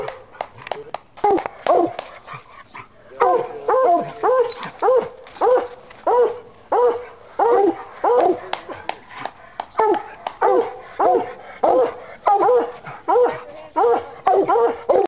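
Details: Bluetick Coonhound, five years old, treed on a coon hunt, an English hound barking in the background. Uneven barks and a man's encouragement open, then strong, regular, ringing barks follow about every half to one second.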